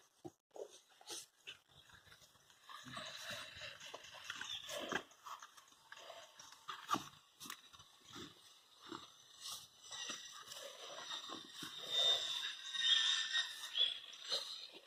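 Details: Presa Canario puppies, 100 days old, playing together: scattered short yaps, snuffles and scuffling clicks, mostly quiet with busier bursts in the middle and toward the end, some high hiss in the background.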